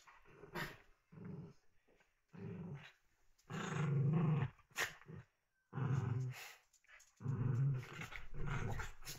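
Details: Puppies at play indoors, growling in short rumbling bursts separated by brief pauses, with sharp scuffling clicks and thuds from their tussling.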